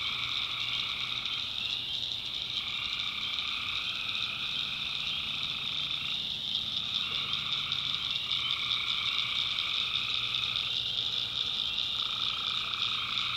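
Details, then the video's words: Nighttime tree frog chorus from a North Carolina swamp: loud, shrill pulsing calls in overlapping rounds, some voices stopping and restarting every second or two against a constant high trill. "Relaxing Swamp Sounds at Night - Frog Heaven - Frogs, Crickets, Forest Nature Sounds"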